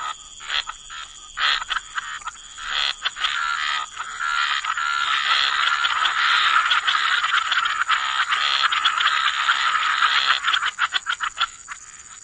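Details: Frogs croaking by the waterside in a wetland chorus, dense overlapping rasping pulses swelling into a continuous mass mid-clip, with a steady high insect-like hum running throughout.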